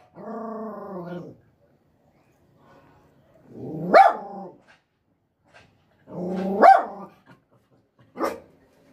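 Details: Small female dog being trained for aggression: a steady, low, rumbling growl for over a second, then three separate barks, each rising out of a short growl, spaced about two to three seconds apart.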